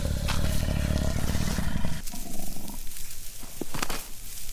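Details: Two adult male lions roaring across their 60 km² savanna territory while the lionesses hunt, asserting their power, warning rival lions and driving off scavengers such as hyenas; deep, rumbling low roaring fills the first two seconds, then fades to quieter rumbles.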